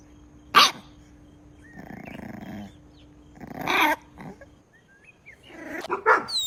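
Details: Puppies drinking milk on a lush green meadow; three short, sharp bark-like bursts, spaced a few seconds apart, over a steady low hum, with faint chirping between them.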